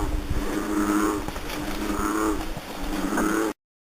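A frog gives low, droning croaks in slow, drawn-out bursts about a second apart.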